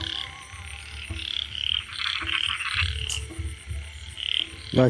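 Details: Frog croaks in short bright bursts, recorded where a frog chased a snake away, mixed with a steady low hum and a rising human voice at the very end.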